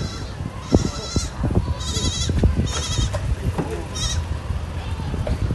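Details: Goat near death, being protected by an African farmer: three or four thin, high, strained bleats about a second apart, above a steady rumble of handling noise and low thumps.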